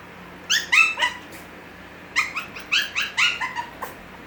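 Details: High, clipped yelps come from Gracie's six-week-old Havanese puppies: a few spaced cries early, then a denser run of bright, slightly rising yips in the second half, then a single faint one.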